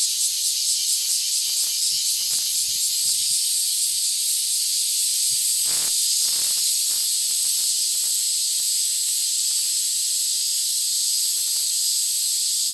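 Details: Many cicadas singing together in a Tokyo town, Japan, August 3, 2021, four kinds including Large Brown and Kempfer cicadas; continuous piercing high buzz, slightly pulsing early on, with a brief lower tonal sound near the middle.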